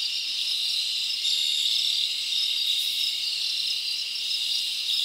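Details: Crickets at night in a summer forest produce a constant high, shimmering trill, evenly loud, with faint pulsing chirps inside the chorus.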